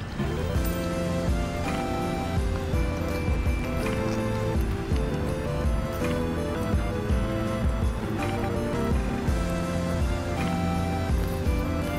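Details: Steady instrumental music fills the whole stretch with sustained tones and a soft rhythmic pulse, and no animal voice is heard.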